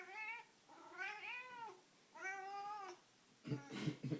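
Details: Rusty Bee, a pet cat intensely playing with a string toy, gives three long wavering yowls roughly a second apart, then a clatter of thumps and scuffling.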